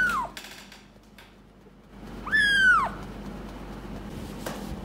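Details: Gray rescued kitten about one month old, from Paraguay, fostered indoors and trying to climb onto a lap. It gives a brief falling cry, then a louder arched, high-pitched meow over a quiet room.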